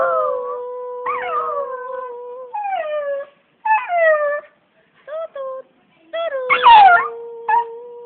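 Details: Pet dog singing in a drawn-out howl, a steady tone held for long stretches with short falling and wavering slides between notes, brief pauses, and one louder rough burst near the end.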